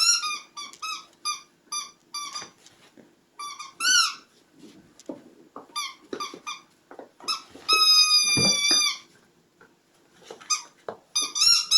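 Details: Puppies indoors making rapid high-pitched squeaks and whimpers in quick bursts, several per second, with one longer sustained squeal midway and soft rustling between calls.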